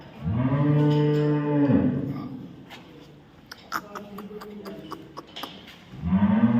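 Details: Cow on a dairy farm in Samora village, Karnal, Haryana, giving a deep, drawn-out moo of nearly two seconds, then a quiet stretch with faint clicks and knocks, then a second low moo beginning at the end.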